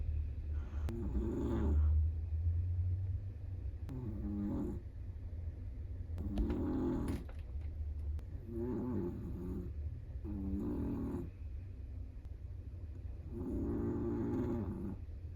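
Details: Snoring from a sleeping Chihuahua: six raspy, fluttering breaths spread across the stretch, each about a second, with a few faint clicks and a low steady hum underneath.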